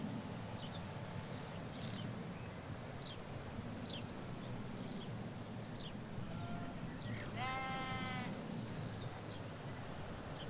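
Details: Ewes and lambs in the Hampshire countryside of England: a short, bright, trembling bleat near seven and a half seconds, preceded by a faint distant one, with high bird chirps and steady low road noise throughout.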